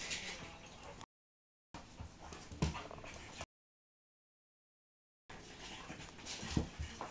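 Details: Pug and Akita cross dogs playing: scattered snuffly grunts and short whimpering yips in quick irregular bursts, broken by two stretches of silence.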